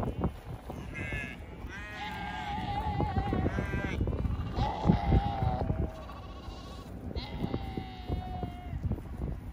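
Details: Sheep on a riverside by the Rhine in Düsseldorf, heard during a bike trip: several long, wavering, nasal bleats of a few seconds each over steady wind and low rumbling background noise.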